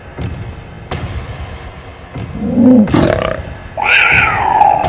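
A puma lets out a short, rough cry, then a long, shrill, strained scream that wavers slightly. Faint clicks and a low background hum sit underneath.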